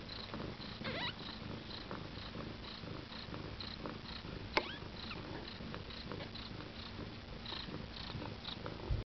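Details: Mother Siberian cat with her first babies at nine days old: a soft, unbroken purr runs throughout, dotted with thin high squeaks roughly every half second and one sharp click midway.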